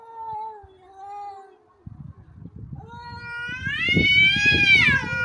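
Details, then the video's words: Cats fighting: a low wavering yowl near the start, then a loud rising, strongly harmonic caterwaul swelling after three seconds, over rough low scuffling thumps and noise. "Драка котов"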